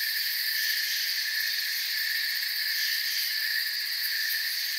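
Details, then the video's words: Crickets chirping in a calm forest at night, offered as sleep ambience: a dense, steady chorus of high, shimmering trills layered in several bands, with faint rapid pulsing on top and no pauses, other birds or voices. "Forest Sounds and Crickets"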